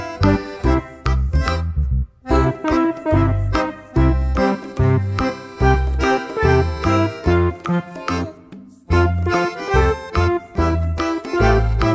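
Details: Keyboard music with rich chords and a steady bass; no animal voice can be picked out.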